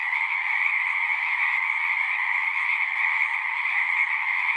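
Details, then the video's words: Steady frog chorus, countless voices blended into a continuous high trilling hum over a lower band, level and unchanging across the short stretch, with no other sounds. "One hour of singing frogs."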